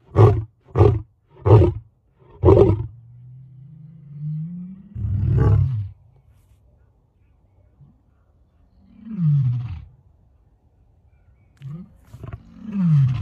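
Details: Lion roaring at very close range: four loud deep grunting bursts in quick succession, then a long low moan rising slightly, followed by softer descending groaning calls and a final deep rumble; no other sounds.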